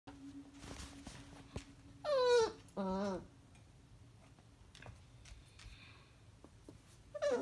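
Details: Beagle puppy reacting to a hamster with two high, wavering whines in quick succession, the first sliding downward, then quiet indoor room noise before another sharp whine begins at the end.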